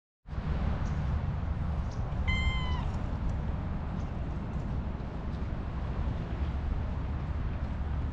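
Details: Tabby-and-white cat being petted and licking a hand with a rough, rasping tongue gives one short, clear meow partway through, over a steady low rumbling background noise.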